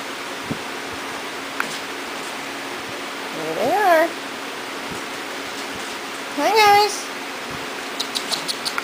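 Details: Corgi puppies from Beth and Kobe's litter, brought back inside into a puppy playpen after their first time outdoors, give two drawn-out whines that rise and then fall, about three seconds apart, over a steady room hum.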